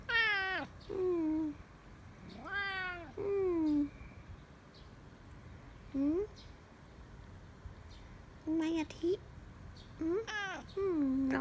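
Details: Pet cat giving a run of varied meows, some long and falling, others short and upswept, spaced irregularly over about eleven seconds, with soft human speech in the background.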